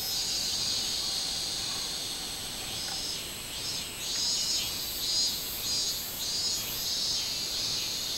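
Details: Shrill, pulsing buzz of a robust cicada, recorded 24 July 2016. The song swells repeatedly in the second half, with short throbbing surges over a constant high insect hum.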